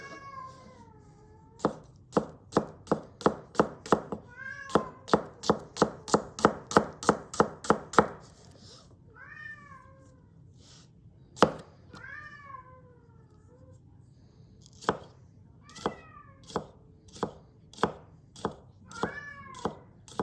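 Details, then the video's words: Domestic cat meowing repeatedly, about five drawn-out meows with falling pitch, heard between bursts of rapid, regular knife chops as a carrot is cut on a board. "with cat noises"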